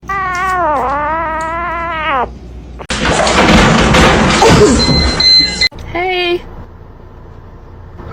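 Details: Kitten meowing in a compilation: a long, strong harmonic meow with a wavering, slightly falling then rising tone lasting about two seconds, followed by a burst of loud noisy sound and a second short meow.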